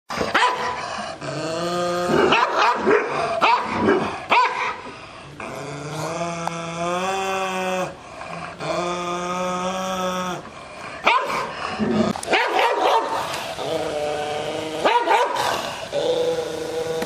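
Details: An angry Rottweiler barks and growls loudly, with a few long, drawn-out whining tones.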